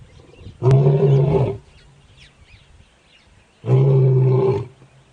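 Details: Lion roaring: two deep, loud, rumbling bursts about a second long each, separated by roughly two seconds of quiet, with faint background noise between them.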